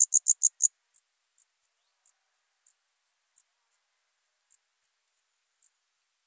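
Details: Alpine dark bush-cricket recorded in Berchtesgaden, Germany, on 6 September 2018 with an ultrasound detector: a quick burst of five loud high clicks, then single short high chirps spaced roughly every third of a second.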